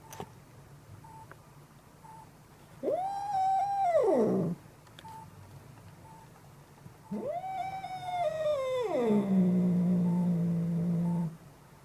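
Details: Angry cat yelling indoors: two long drawn-out yowls, each rising quickly, holding a high wavering tone, then sliding down into a low growling moan, with quiet pauses between and faint repeated beeps in the background.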